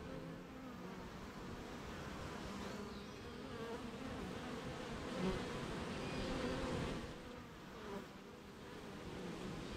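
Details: Rainy-morning beehive with honey bees busy making honey; a continuous layered hum with wavering low tones and a few brief higher whines of individual bees flying close, gently rising and falling in loudness.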